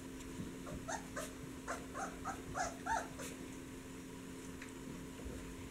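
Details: Several puppies in a whelping box, awake after sleeping and excited while waiting for their mother or human voices; short high whimpers and squeaks in quick overlapping bursts, about three a second, over a steady low electrical hum.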